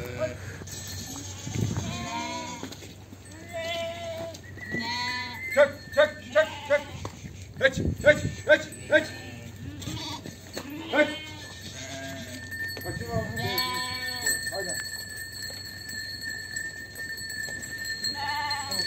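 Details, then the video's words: Flock of sheep and lambs being separated on a sheep farm, calling in rapid succession: quavering bleats, a quick burst of short loud ones around six to nine seconds, then longer drawn-out cries, with brief speech early. "KOYUN KUZU AYIRMA ~ KOYUN ÇİFTLİĞİ ( Koyun kuzu videoları, koyun yetiştiriciliği, kuzu sesi küçükbaş"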